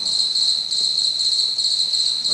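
High, pure-toned chirping from a house cricket runs without a break, its rapid pulses blending into a shimmering trill. This is the male's calling song, produced by rubbing one wing against the other.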